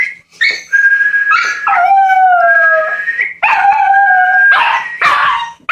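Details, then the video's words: Jack Russell Terrier puppy howling in response to whistling: drawn-out wavering howls sliding downward, mixed with sharp yips and a steady human whistle tone running alongside. "Puppy howling to the sound of whistling"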